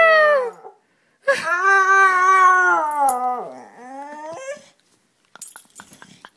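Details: Pet dog imitating its owner, giving drawn-out, wavering howl-like vocal notes rich in harmonics, one short note then a long sliding tone that falls and rises, ending in a few faint clicks.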